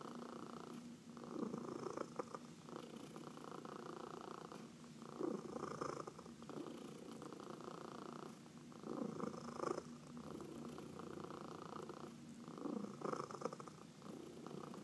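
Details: Purring domestic cat being massaged at home, among four pet cats including senior shelter adoptees; continuous low buzzing rumble rising and falling in waves every few seconds with each breath, light rubbing sounds throughout.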